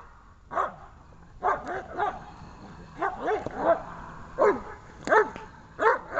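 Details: Dobermann during protection training barking rapidly and unevenly, with clustered harsh barks and some doubled, almost overlapping bursts throughout, keeping up a fast excited rhythm.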